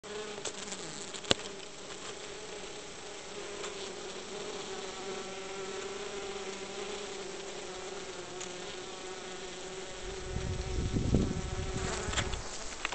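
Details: Honey bees inside their hive in winter, still alive and spending their energy on keeping the hive warm instead of foraging, make a steady, even, low droning hum, with a few soft knocks and a brief rumble near the end.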